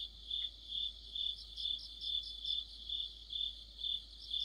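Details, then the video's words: Autumn insect chorus led by crickets near a streetlamp in Korea: a high, steady chirping pulse about twice per second, with softer rapid trills from another insect threading through. "가을의 한 복판 곤충들의 합창"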